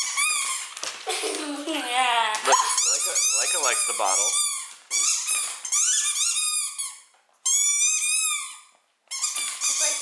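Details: Indoor Siberian Husky 'talking' while offered a drink from a bottle: a run of rising and falling whiny yowls and woo-woo vocal bursts, several in quick succession with short gaps, mixed with a person's voice.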